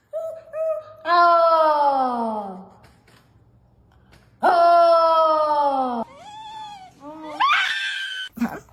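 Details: Dog making strange complaining noises indoors in a small room: two long, drawn-out moaning wails, each sliding downward in pitch and lasting about a second and a half, separated by a pause, followed by shorter rising yelps and a little laughter.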